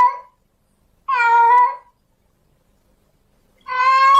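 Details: In heat, a female domestic cat wails to attract a male; one full level meow lasting under a second framed by the tail of a previous call and the start of the next, silence between.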